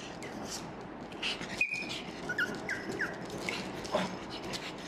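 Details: Small pug dogs crying and calling for food: brief, high, thin whines that sweep up and down, several short notes spread over a few seconds against a hissy indoor background with a sharp knock midway.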